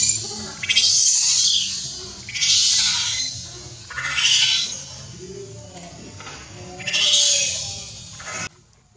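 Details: Newborn baby monkey Leo, very hungry, cries to his mother Libby, begging for milk: four loud, shrill, wavering screams, each lasting about one to one and a half seconds, separated by short pauses.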